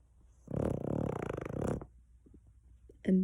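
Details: Glory, a pet dog, snoring loudly in her sleep: one long, rattling, pulsing breath lasting over a second, followed by quiet and then a person's voice starting to speak.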